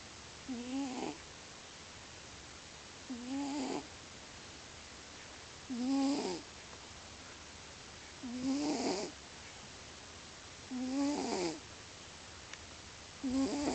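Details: A male domestic cat called Lio, asleep and snoring loudly as he always does, produces six regular snores about every two and a half seconds, each a brief rising nasal whine with a breathy rasp at its end.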